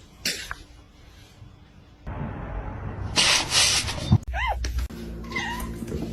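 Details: A kitten calls with two short, bent, rising-then-falling meows late in the clip, after rustling and loud bursts of handling noise.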